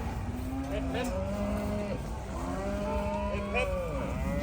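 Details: Danish Holstein pregnant heifers being loaded onto a truck in Hungary for their journey to Gaziantep, Turkey; several overlapping, drawn-out lowing moos, some bending up then down in pitch, over a steady engine rumble and a thin high whine.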